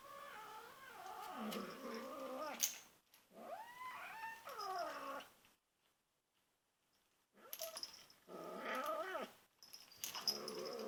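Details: Two-and-a-half-month-old female kitten making weird ferocious noises to protect her toy from other cats hovering around her; long wavering, harmonic growling moans in two bouts, separated by a few seconds of silence.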